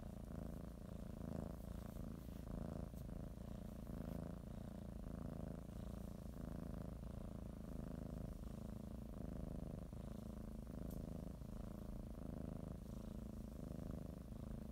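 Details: Domestic cat settling for a morning nap, biting the blanket and kneading, purrs steadily; soft low vibrating drone with breath-paced pulses every one to two seconds, a faint click or two.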